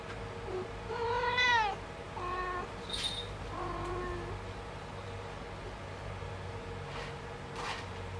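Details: Kitten indoors trying to use the litter box, giving one clear rising-falling meow followed by two softer, flatter mews and a few faint clicks and rustles against a steady low hum.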